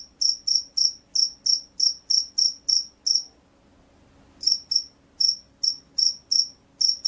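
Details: Field cricket chirping: clean high-pitched chirps repeated about three times a second, a pause of over a second midway, then the steady chirping resumes; quiet background.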